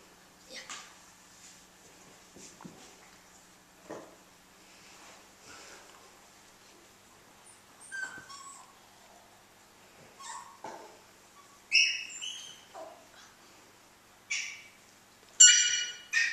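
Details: Two male puggle puppies playing indoors, one slightly bigger than the other; soft scattered whimpers give way to sharp, squeaky high yips in short bursts toward the end, with quiet room noise between.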